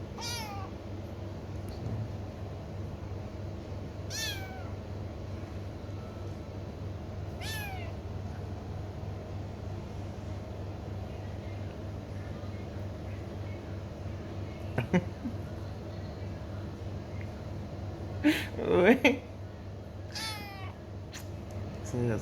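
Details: ['A kitten gives several high, thin meows spread across the clip, each arching then falling in pitch, with a pair of closer cries near the end, over a steady low indoor hum.']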